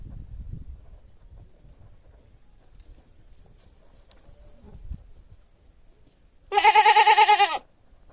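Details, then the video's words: A single domestic goat bleat, a quavering nasal 'maa' lasting about one second with a rapid pulsing tremble. It comes near the end after several seconds of near silence and soft background rustle. "Goat Sounds & Goat pictures - The Sound A Goat Makes"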